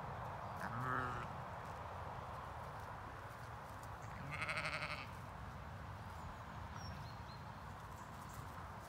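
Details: Zwartbles ewes in an autumn field on a regenerative farm in County Kilkenny, Ireland, coming to check on their owner. A short bleat comes early, then a longer, stronger, richly layered bleat midway, over steady wind-like outdoor noise.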